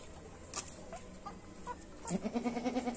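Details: Goat at a goat farm in Paschim Medinipur, West Bengal, India: after two seconds of low murmuring background noise, a fast quavering bleat pulses rapidly for about a second.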